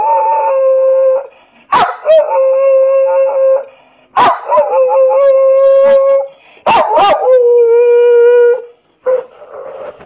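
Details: A pet female Staffordshire Bull Terrier and Boxer cross, adopted from a rescue, howls 'woo woo' in long flat tones: four howls of one to two seconds each, every one starting with a sharp break in the voice, then a brief softer note.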